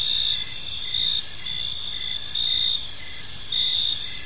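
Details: Park crickets at evening giving bright, high chirps in short bursts about every second, each louder pulse rising over a constant buzzing trill from other insects behind.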